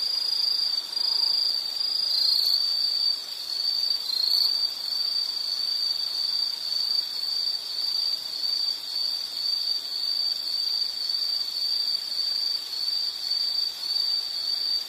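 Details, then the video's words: Insect calling in a relaxing nature soundscape: a continuous high, steady ringing trill near one pitch, unbroken for the whole stretch, with a faint hiss underneath. "Nature Sound of nature sounds scenery L · insect"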